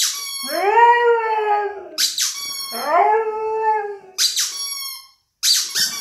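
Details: Siberian Husky howling and singing along to a squeaking toy rubber chicken: long rising-then-falling wavering howls alternate with sharp, high squeaks of the toy, two howls in the stretch.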